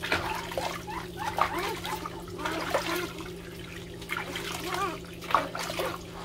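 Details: Several puppies crying loudly while competing for attention: overlapping high, arched whimpering cries repeated throughout, over a steady low electrical hum.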